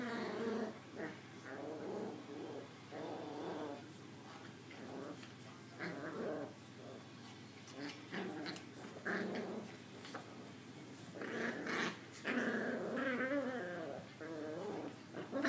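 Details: Two young female Maltese puppies give a steady run of soft, rough growls broken by thin, squeaky whimpers and yips. The sounds overlap and rise and fall in bursts, louder toward the end.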